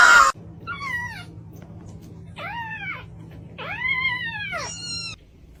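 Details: Kitten meowing: four arched, falling-then-rising mews spaced about a second apart, each clear and tonal with stacked overtones, after a brief loud burst at the start; quiet background hum.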